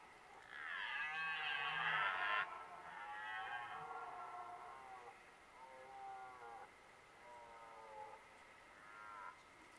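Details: Two red deer stags roar during the 2023 rut, a loud drawn-out bellow followed by shorter, quieter groaning roars.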